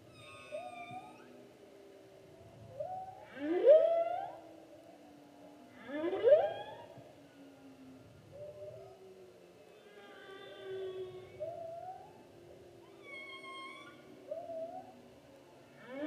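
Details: Humpback whale song recorded during the 2016 whale season: sweeping upward moans and short wavering tonal units, with loud rising whoops about every two and a half seconds, over low rumbling water noise.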